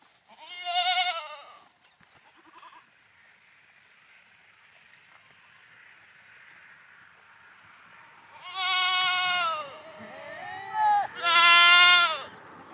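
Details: Goats at play: a loud quavering bleat, a long quiet stretch of faint background noise, then two more bleats close together, the last one high and strained.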